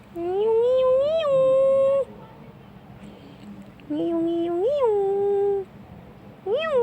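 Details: Domestic shorthair cat Tarzan, a black male kitten of fourteen months seeking a home in Malaysia's Petaling Jaya, calls indoors with two long level meows that bend upward midway, then a third begins sharply at the end.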